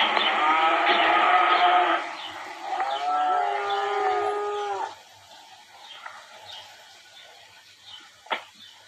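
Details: Cattle at ranch La Tijera in Valle de Zaragoza and Huejotitán, Chihuahua, Mexico, being worked to select future breeding cows. Two long, deep harmonic moos, the first loud and steady for about two seconds, the second wavering, then quiet with faint knocks.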